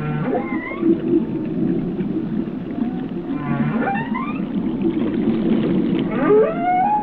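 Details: Whale song over a thick low underwater drone: scattered rising glides and a few short swooping notes, the clearest climbing steeply near the end.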